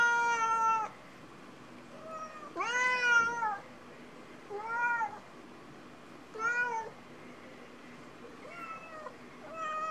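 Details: Cats waiting for their lunch, calling in a run of rising-falling meows, about six cries over ten seconds, some loud and arched, others softer and shorter, in a quiet indoor setting.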